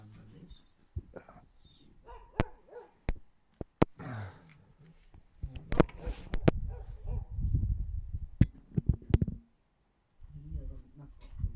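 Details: A Siberian Husky gives short, sharp barks under a window on 24 February 2024, with people talking quietly close by.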